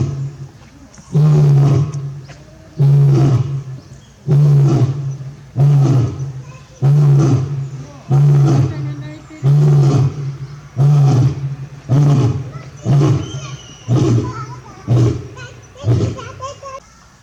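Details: Male lion Barry at Tobe Zoo, Japan, recorded 27 October 2020, gives low, deep roars: a long series of grunting bursts, about one every 1.3 seconds, shortening and fading toward the end, with a faint park announcement in the background.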